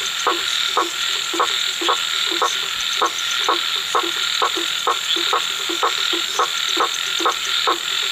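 A frog calls with short, regular croaks about twice a second over a steady night-insect hum.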